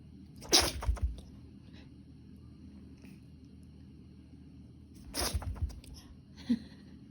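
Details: A pet Pomeranian with a peculiar sneezing habit gives two sharp, explosive sneezes, one near the start and another about four and a half seconds later. Each is followed by brief snuffling bursts, and a small click comes near the end in a quiet room.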